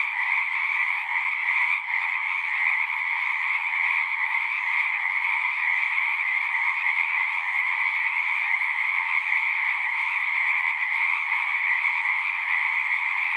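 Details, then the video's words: Frogs chorusing at a pond in a horse pasture, recorded on a Zoom recorder: a dense, unbroken trilling din with two steady bands, one high and one lower, holding level throughout with no pauses or other sounds. "Frogs singing"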